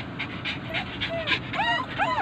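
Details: Pet poodle, one of several at home, breathing in soft breathy pants, then giving two drawn-out, wavering whines that rise and fall near the end.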